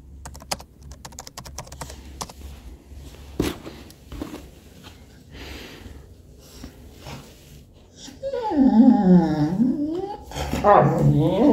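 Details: Keyboard typing and small room noises fill the first seconds indoors on 18 September 2022, then Robby, an attention-seeking English Cocker Spaniel, breaks in with a wavering moan and a second louder yowling whine.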